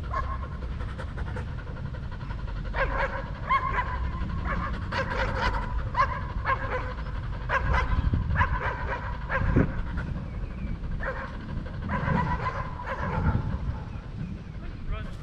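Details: Belgian Malinois named Danny panting while playing fetch in Cebu, Philippines; quick rhythmic breathy huffs run steadily through the clip over a low rumbling background, with faint voices at times.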